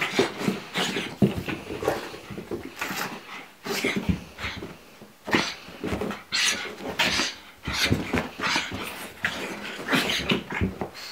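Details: Frightened pug reacting to a pillow indoors: short breathy snorts and huffs in uneven clusters, with brief pauses between bursts and one louder burst near the middle.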